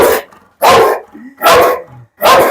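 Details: Pit bull giving three loud, sharp barks spaced roughly three-quarters of a second apart, with soft whines and low grumbles in the pauses between them.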